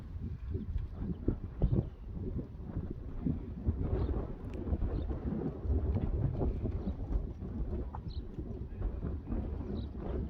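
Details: Outside once more after the rain, young Friesian horses move across a drier meadow; soft, uneven hoof thuds and rustling fill the ground, with light wind and a few thin bird chirps.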